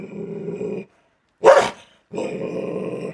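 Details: Belgian Malinois dog growling: a steady, low rumbling growl lasting almost a second, then a single sharp bark, a brief pause, and another sustained rumbling growl.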